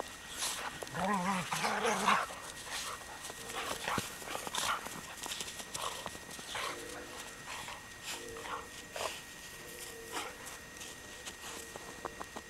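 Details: German Shorthaired Pointer and Weimaraner playing together in the snow; a brief wavering, harmonic growling vocalization comes early, later a few faint steady whine-like tones, over constant crunching, scuffling snow and paw noise.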